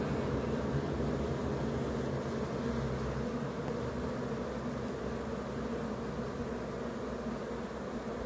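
A honey bee swarm makes a dense, steady low hum of countless beating wings.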